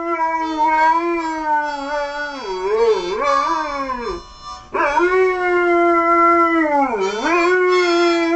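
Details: Dog howling along to music; drawn-out harmonic howls that waver and dip in pitch, a brief pause, then a second long howl with another dip, music underneath.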